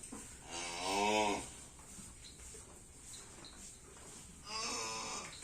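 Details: A racing bull being prepared for a karapan sapi bull race event: two short wavering moo-like calls of about a second each, roughly four seconds apart, over a steady background hiss.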